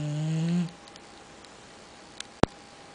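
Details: Sleeping Boxer named Axle ending a snore with a low droning breath that fades after half a second, followed by quiet room hum and a sharp click.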